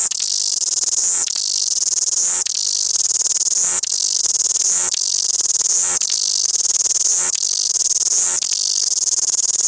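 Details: Loud singing cicada, Wellington: a harsh, high whirring drone broken by short changes roughly every one to one and a half seconds, with no other sounds.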